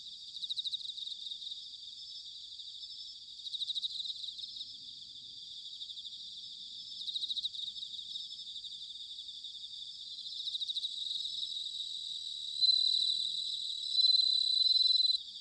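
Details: Bell crickets in autumn at Sanuki, Chiba Prefecture, Japan, give high pulsed ringing phrases roughly every three to four seconds over a steady insect chorus, ending with two longer, clear, pure-toned notes.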